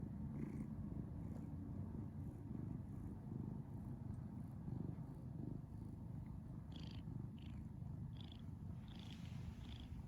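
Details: Domestic cat named Mr. Holden purring: a steady low rumble with faint rhythmic pulsing, continuous throughout, with brief soft higher clicks or chirps near the end.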